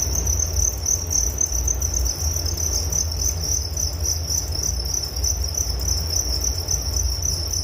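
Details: Unbroken cricket chirping: many fast high pulses merge into a shimmering continuous trill, steady in pitch and loudness, over a faint low rumble.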